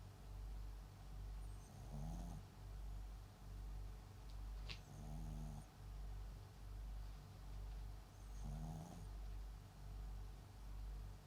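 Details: Sleeping MAX, a Papillon × Japanese Chin mixed-breed dog, gives three gravelly snores about three seconds apart. Low steady breathing continues beneath them, and there is one sharp click partway through.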